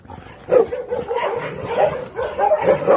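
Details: Pungsan dogs in a kennel meeting a newcomer Pungsan dog brought in from outside, with the pack settling rank; loud, harmonic barks in a rapid burst, then more barks about every half second.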